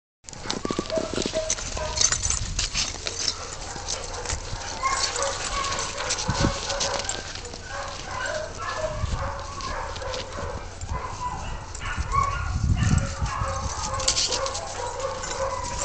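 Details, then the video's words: Five Siberian Huskies named Zia, Zorra, Luna, Riggo and Olive at playtime, giving overlapping whining, yodel-like harmonic calls that rise and fall throughout, with scuffling, thumping paws and bursts of noise from the romping dogs. "Husky Playtime"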